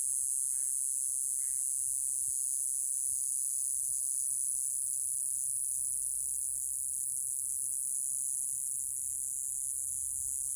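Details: Continuous shrill, high-pitched hiss of Mogannia minuta, a grass cicada of Okinawa, Japan, holding level throughout; two brief lower chirps sound near the start over a soft low background rumble.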